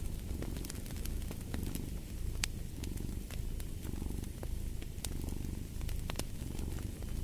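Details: Cat purring steadily next to a fireplace: rhythmic low rumbling in breath-length swells, accompanied by bright snaps and crackles of burning wood.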